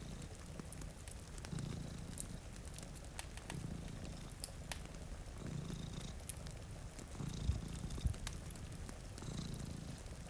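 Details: Sleeping cats in front of a rainy window give a steady low purr in rhythmic swells roughly every two seconds, accompanied by sharp fireplace crackles and gentle rainfall.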